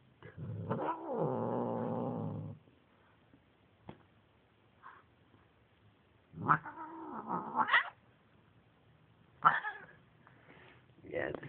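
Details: Domestic cat in a tense standoff with another cat: a long, low, harsh wailing growl lasting about two seconds, then a pause and several rising, strained yowls, with music faintly in the background.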